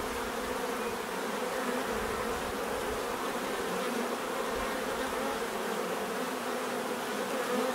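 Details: Many bees humming together in a thick, unbroken buzz, the wing tones shimmering slightly as individuals shift, steady in loudness throughout.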